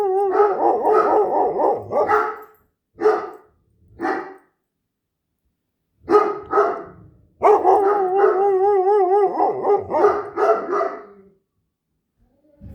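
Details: A Great Dane and a Standard Poodle howl together and make odd noises: wavering, quavering howls in bursts, a few short yelps between, then a long warbling joint howl of about four seconds before fading to silence.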